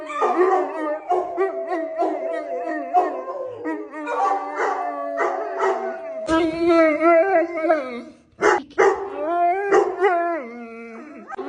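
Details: A 120 lb female Neapolitan Mastiff, a pet, lets out a sustained howl that holds a steady, wavering pitch for several seconds. It then breaks into choppy, yodel-like yowls with sharp jumps in pitch, sounding like a strange animal.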